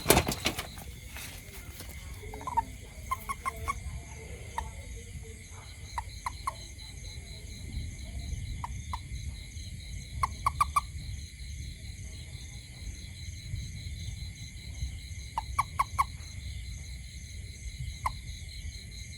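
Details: A toad near a house at night gives short bursts of two to four quick clicking notes, scattered every few seconds, against a constant shrill insect chorus.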